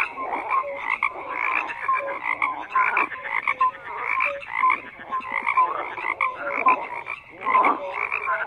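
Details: A dense frog chorus croaking continuously, many overlapping voices forming a pulsed, rattling wall of sound, with short tonal notes popping out above it every second or so; no other sounds stand out.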